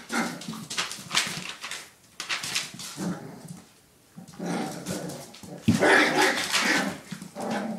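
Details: Playing puppies, five in all, let out clusters of squeaky barks and yips separated by brief quiet gaps, ending in a louder burst of overlapping growly barks.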